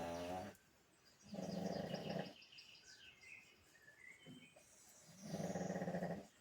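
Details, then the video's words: Snoring from a sleeping pug dog: heavy, raspy inhalations about a second long, with a shorter snort between them, while high bird chirps and tweets carry on behind. "my dog snoring"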